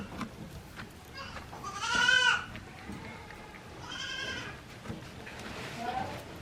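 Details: One-day-old goat kids at Yoshigake goat farm, a handmade farm in Japan, April 17, 2024: two wavering bleats with a rising and falling pitch and a fainter third call near the end, over soft background noise.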